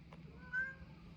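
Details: Indoor calico cat that has spotted birds outside gives a single short, thin, level meow, with a faint low hum in the room.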